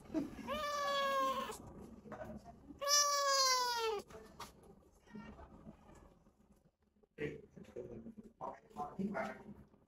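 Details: Sick rescued stray kitten with cat flu at the vet for the first time gives two drawn-out, wavering meows, the second louder and longer, followed by quiet human speech.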